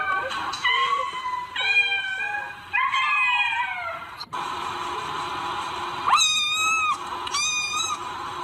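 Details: Cats meowing in a compilation of funny cat antics: several drawn-out, wavering meows with rich harmonics, some rising then falling, others flat and whiny, overlapping at times over a steady background hiss.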